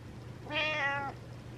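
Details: Butters, a pet cat, meows at night wanting attention: a single clear harmonic meow of about half a second, gently rising then falling, against a low steady indoor hum.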